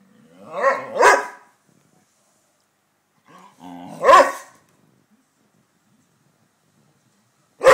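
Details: Saluki and Pharaoh Hound chatting: loud, harmonic bark-like yowls, a double burst near the start, another after about three seconds, and a final burst at the end, with silence between.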